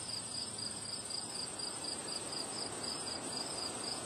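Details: Windy-day cricket chorus: evenly spaced high chirps pulsing quickly and continuously, with gusty wind noise filling the lower range and a constant faint high drone above.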